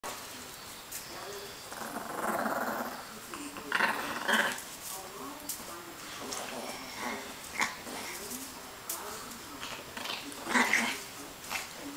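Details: Chihuahua having fun with a toy, making low, rough play growls in short bursts, loudest around the middle, with scuffling and sharper clicks from the play throughout.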